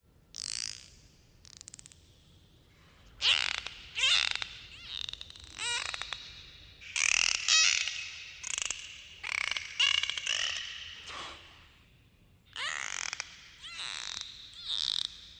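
Dolphin screeches come in harsh, high bursts, some with thin whistled sweeps at the start. The raspy pulses repeat in uneven clusters with short silences between.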